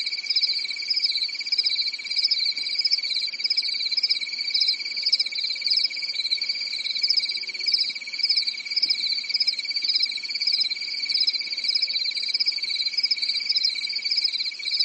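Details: Night-time cricket chorus on a quiet European summer night in woodland, many insects trilling at once in a continuous, shimmering high-pitched pulsing that never pauses, a faint low hum beneath.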